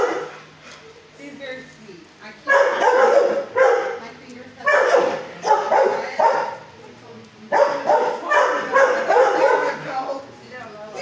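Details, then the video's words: Fozzie Bear, a six-year-old shelter dog in kennel 19 at HSSAZ, barks at someone near the kennel: bursts of loud, harsh barks in clusters separated by short quieter gaps, with voices and kennel noise mixed in. "at 1st he barks but calm neighbor showed way"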